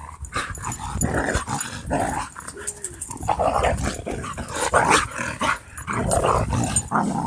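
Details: Dogs at play in a dog park, making fierce-sounding death growls and odd noises: rough, broken growls and snarls rising and falling in bursts throughout, with scuffling between them.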